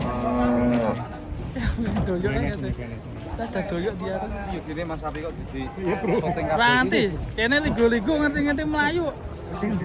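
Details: Raging cattle that ran into a passenger car, in Indonesia: a loud, drawn-out moo at the start, then further wavering bellowing moos, with men talking and music over it.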